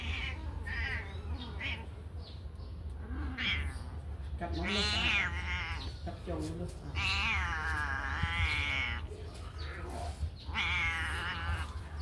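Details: Kittens let out of a cage to run and play give loud, overlapping harmonic meows, several long rising-falling cries around the middle and end, over a steady low hum.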